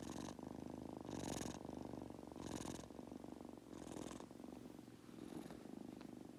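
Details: Falling asleep, the Munchkin kitten Goku gives a close, rumbling purr broken by breathy bursts about every 1.3 seconds, the purr slightly louder on each breath.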